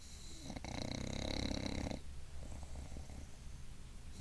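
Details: Bulldog named Gilbert snoring while asleep sitting up indoors: one long, raspy, low-pitched snore builds in loudness for about a second and a half, then fades into quieter breathing.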